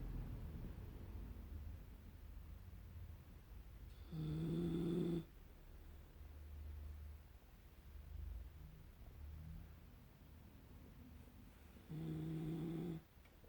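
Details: Poodle named Lukas snoring while asleep, a known day-and-night snorer: two loud droning snore breaths around four and twelve seconds with a low buzzy tone, separated by quieter low breathing.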